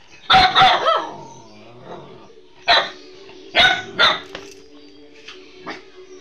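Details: Pet dog barking loudly at the owner's wife it does not recognise, a quick double bark then single barks at irregular intervals, fading to softer yaps, over a constant background hum.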